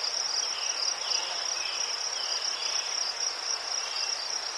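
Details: Crickets in Ukraine chirping among chrysanthemums, a steady, high, shimmering trill running unbroken throughout.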